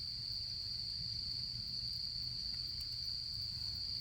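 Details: Autumn insect chorus at a campfire in camping season, one continuous shrill ringing tone without pauses, over a soft low murmur and a faint crackle.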